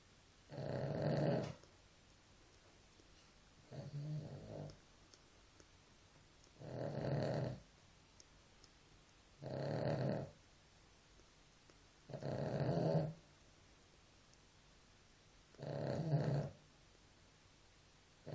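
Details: Sleeping dog snoring regularly, six harsh, low, buzzing breaths across eighteen seconds, roughly one every three seconds, each lasting about a second, with a still, quiet background.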